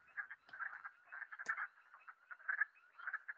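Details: Wood frogs, calling in the late-March breeding season, give short, hoarse, clucking croaks in an irregular series, much like a duck quacking.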